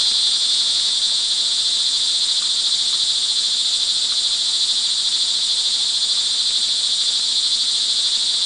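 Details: Crickets calling in the rain on an early evening, June 24, 2011, in Montalban, Rizal, Philippines: a dense, unbroken high-pitched shimmering trill from many insects, steady in loudness throughout.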